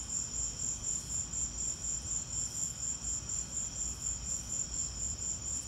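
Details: High shrill cricket chirps during a lightning storm, rhythmic pulses about four per second forming an unbroken trill, set against a dull low rumble.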